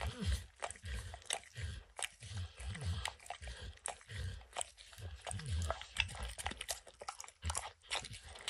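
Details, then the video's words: Peanut butter and kibble licked and crunched by Max, a dog, from an orange mat: bursts of wet smacking separated by short pauses, low gulping thuds underneath and brief crisp crunches. "Dog Licking Sounds"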